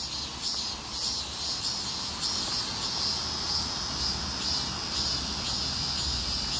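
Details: Heatwave street chorus of cicadas: a sustained, piercing buzz pulsing roughly twice a second, with a constant ultra-high ringing tone on top and some low background hum.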